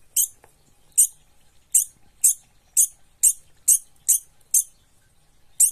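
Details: A frightened degu, possibly a young one, scolds with a string of sharp, very high squeaks at uneven intervals.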